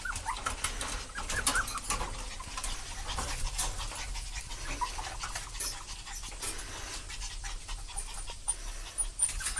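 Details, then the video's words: A delighted parent dog and its puppy: steady, fast breathy panting pulses run throughout, with occasional faint high squeaks and small rustling knocks between breaths. "おおよろこびの親子犬Awesome parent and puppy"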